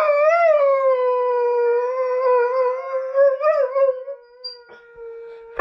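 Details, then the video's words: Addie, a Catahoula Leopard Dog, howls while hearing herself played back on a laptop: one long, steady mid-pitched howl with rich overtones, wavering slightly near the end before fading into a quieter tail. "Catahoula Addie_howling3: hearing herself hear herself"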